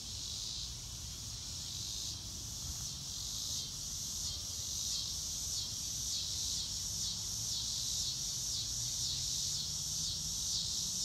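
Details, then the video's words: Crickets outdoors on a blue-sky day, a dense high-pitched shimmering chorus with steady pulsed chirps about twice a second, growing slightly louder, over a low rumble of wind or distant background noise. "Nature Sounds - Real Time - No Music - Meditation - Crickets"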